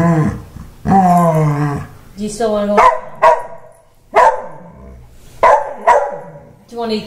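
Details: Male Wheaten Terrier indoors, angry after being given a haircut: a drawn-out moaning grumble, then short sharp barks and yips repeated roughly every second, with quiet gaps between.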